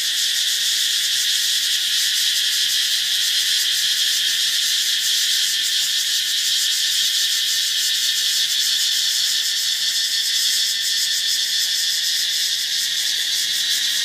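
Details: Insects, which the recordist thinks are grasshoppers, make a loud, steady, high, shimmering buzz that never pauses in daytime around 9:30 at a beach resort on Koh Phangan, Thailand.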